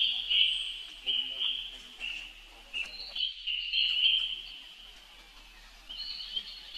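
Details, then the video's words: Young monkey brother calling for help while Rainbow runs very fast; steady high-pitched crying in rapid, unbroken wavering squeals, a brief pause near the middle, then more piercing cries. "Rainbow Run Very Fast While Her Young Bro Call Helping it , Look Adorable Baby Monkey"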